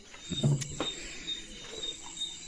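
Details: Leo, a pet German Shepherd, during morning play at home, gives a short, low, rough bark burst followed by a second fainter one after being told to speak, with steady high-pitched background tones and a person's voice nearby.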